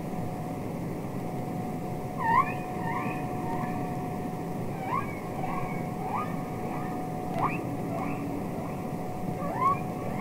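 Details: Real humpback whales communicating underwater on Capitol Records ST-620: repeated brief upward-sweeping whoops, sometimes in pairs, scattered across the recording above a steady hum and soft hiss of the sea.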